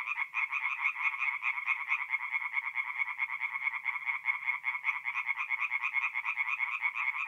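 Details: Tree frogs singing at night in a forest pond in mid-April, north-east Italy: a dense chorus of rapid, rattling pulsed croaks, about two per second, overlapping steadily with no pauses and no other sounds.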